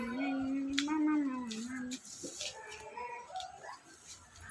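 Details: Billy goats brought to market in Ratnagiri for Bakri Eid (Eid al-Adha), with buying and selling underway: one long, wavering, nasal bleat lasting about two seconds, then fainter broken calls amid market chatter and background noise.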